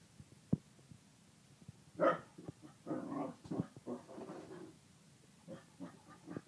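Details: Male Kerry Blue Terrier with his bone: a single faint click, then a louder snarl and a run of low grumbling growls, fading into softer, scattered huffs and rumbles.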